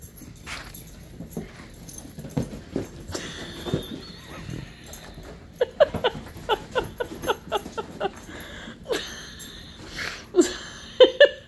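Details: Husky and Malamute playing during their nightly couch zoomies indoors; a run of short, sharp yipping whimpers repeated rapidly mid-clip, with thumps and rustling from the romp and a few louder yelps near the end.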